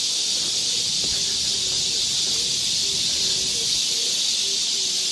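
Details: Midsummer chorus of cicadas in the woods of Galsan Neighborhood Park, Yangcheon-gu, Seoul. A loud, steady, hissing drone fills the forest without a break, while soft low tones flicker faintly underneath.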